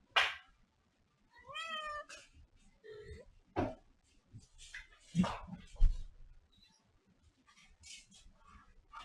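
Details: Domestic cat indoors giving a drawn-out, wavering meow with a rising then falling tone, surrounded by brief thumps, clicks and scattered human speech in a small room.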